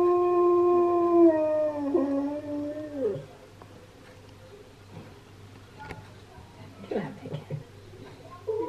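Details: Husky singing in response to another husky's howling: a sustained, steady tonal howl for about three seconds that bends down and breaks off, followed by softer whimpers and short yelps.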